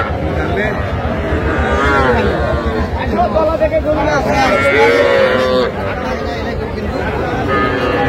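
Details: Young Sahiwal bull and heifer calves for sale at a busy twice-weekly market in Dinajpur district, July; a long moo near two seconds and a bending, tonal bawl near five seconds, surrounded by loud voices and bargaining.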